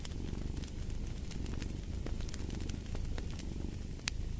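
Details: Cat purr: a continuous low, rough rumble that holds steady throughout. Frequent bright crackles and pops from a fireplace sound over it.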